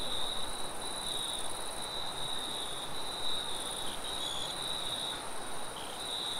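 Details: Crickets chirping in a forest at night, a steady high trill pulsing in short runs over a constant wind-like rush; a faint second high band above.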